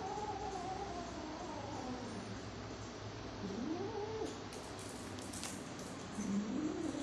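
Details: Angry kitten giving drawn-out, wavering yowls that rise and fall in pitch, several long moans in a row, over a steady background hum and a few faint clicks.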